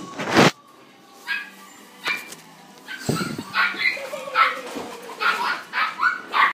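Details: Female red Miniature Dachshund, born 2016, gives short high-pitched yelps and barks, sparse at first and then in a quick run of bursts toward the end, with faint household clatter between them.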